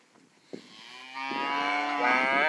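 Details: Charolais calves at Rancho Santa Teresa, China, Nuevo León: after a sharp knock, a single long moo starts low and steady, then swells louder and rises into a strained, bright bawl that lasts to the end.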